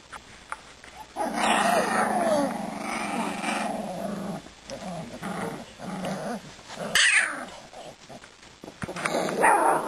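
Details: Two-and-a-half-week-old Siberian Husky puppies at play: a drawn-out, rough, harmonic growl lasts about three seconds, followed by several shorter, quieter growling bursts and a brief sharp sound near the end.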